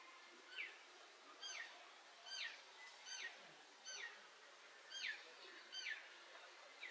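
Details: Pallas's cat, the mother named Eva, feeding her kittens on 13 June 2023: high, thin, downward-sliding chirps with faint harmonics, repeated about once a second in a steady series over quiet background hiss.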